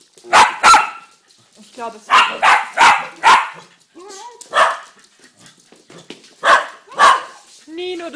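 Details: Dogs giving sharp barks in clusters of two or three, with whining, yelping tones between the bursts.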